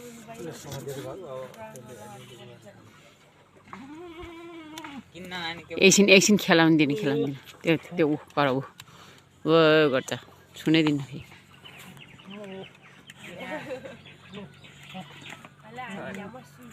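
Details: Boer goats on a goat breeding farm in Nepal give loud, quavering bleats with a shaky, wavering pitch, several in a row around the middle of the clip, while people talk over and between the calls.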